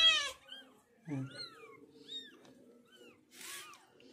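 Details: Cat carrying her five kittens away from a shelter: a series of short, arched high-pitched mews spaced about half a second apart, with a louder cry at the start, a low human voice and a breathy burst near the end.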